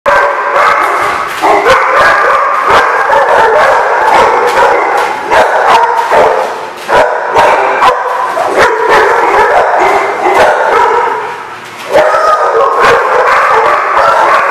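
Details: Many dogs bark together without pause, a loud overlapping chorus of sharp woofs and yips with some howl-like drawn-out notes, so dense that single barks blur into a constant din with only brief dips.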